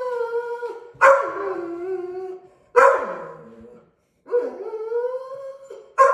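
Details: During its third week of bench training, a Deutsch Drahthaar puppy voices three sustained howls, each starting with a sharp, rough onset and then settling into a steady, mournful tone, separated by short silences.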